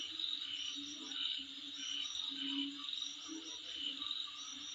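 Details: An insect chorus in front of a residence: a dense, shrill, unbroken trill with fast rhythmic chirping above it and intermittent lower humming pulses.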